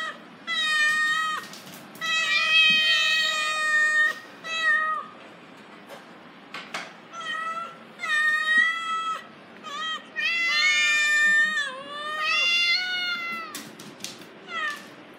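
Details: Little black cat named Meowmeow meowing nonstop alongside her friend Tito and a small dog, Conchita; a rapid series of high, drawn-out meows, some rising and falling, with short clicks and knocks between.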